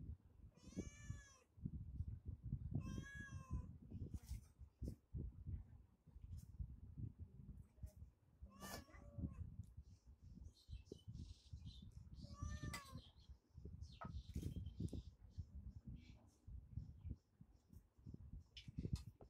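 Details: Cat eating chicken: several meows, the first two close together, later ones shorter and spaced out, over steady low chewing and handling noises throughout.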